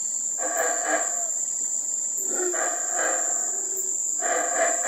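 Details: Howler monkeys recorded in Teakettle, Belize, near the Belize River: layered, rough roaring howls in pulsing bursts, with a steady high insect whine throughout.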